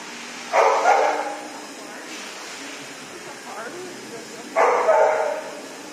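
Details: A female dog, very scared at first in a dog shower, gives two loud, drawn-out barks about four seconds apart, with soft human talk in the quiet gap.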